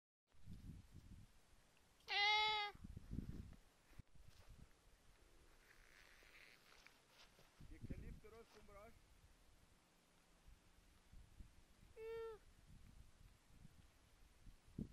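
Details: One-day-old dromedary camel calf, born only hours earlier in the desert, calling for its mother after she left for a few minutes; loud, harmonic, bleating cries near the start, middle and end, with wind and handling noise between.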